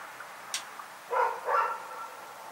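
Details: Rex, a dog, barking in the night: two short, harsh barks about a third of a second apart, strongest in the midrange. A faint click and a high hiss come just before them over a quiet background.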